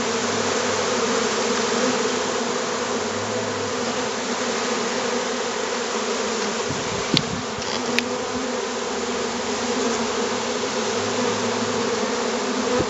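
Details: Hundreds of honeybees from a freshly captured swarm stream into a hive box as dozens fan at the entrance, recorded 25 July 2013. Thick continuous buzzing drone fills the whole stretch, broken only by two sharp knocks midway.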